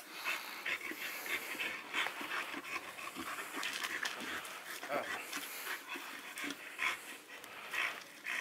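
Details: Panting from a pair of pocket American Bully males, aged three years and eleven months, recorded in Romania: steady raspy breaths in a continuous noisy rhythm, with faint voices in the background.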